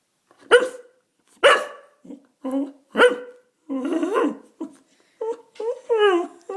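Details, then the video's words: Indoor dog crying for food, opening with short sharp yelps at about one per second, then a longer, wobbling, talk-like moan and a series of falling, whining cries, with a person speaking nearby. "Dog Crying for Food"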